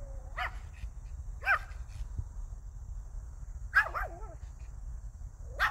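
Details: A Pomeranian dog barks. Four sharp, high, yappy barks come at uneven intervals, some with a quick double note, over a rumbling low background noise.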